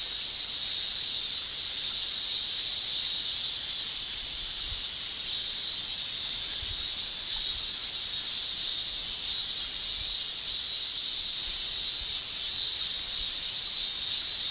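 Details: Japanese summer cicada chorus of males producing tymbal song: a steady piercing high-pitched drone that rises slightly in loudness toward the end, with soft pulsing in the tone and nothing else clearly heard.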